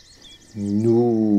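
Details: A big, tired red deer stag at Chambord, France, in September 2021 during the rut, heard from a hide around sunset, breaks into a deep, harmonic-rich roar.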